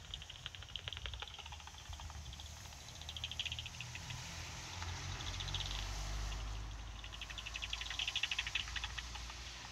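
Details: Two soprano pipistrelles at night, picked up on a bat detector: rapid trains of dry ticking clicks in uneven bursts that thicken into fast buzzy runs, over a steady low rumble and hiss.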